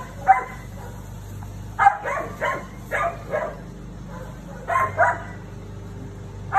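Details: Barking from a female Siberian Husky facing down the neighbour's cat: bursts of two or three barks every second or so, with a quieter lull midway and a constant low hum underneath.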